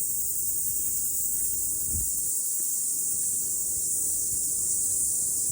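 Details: Cicadas singing after rain on a morning mountain hike fill the air with a steady, high-pitched electric buzz that never lets up.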